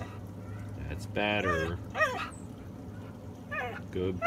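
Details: Female Siberian Husky vocalizing back when told to be quiet: several short whining yowls with bending pitch, mixed with a person's scolding voice and a low background hum.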